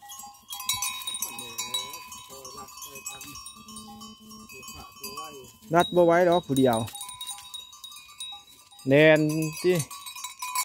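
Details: Goats during relaxation time give two loud, quavering, wavering bleats, one lasting about a second and a later one, over softer bleating, steady high ringing tones and faint speech.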